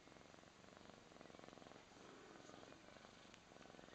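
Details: Sacred Birman cats purring as one kneads and massages the other, a first for this cat; a steady, rapid, rhythmic purr pulses through the whole stretch, easing briefly near the middle before resuming evenly.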